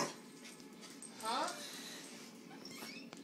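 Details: Luna, a corgi, meeting Lillith, a cat, for the first time; a short rising, whiny dog vocalisation swoops upward mid-clip, with soft human voices and faint clinking of dishes around it.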